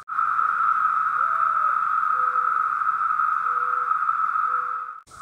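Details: Periodical cicadas (magicicada), which emerge by the millions once every 13 or 17 years, fill the air with a steady, loud, high synchronized droning buzz that holds without a break.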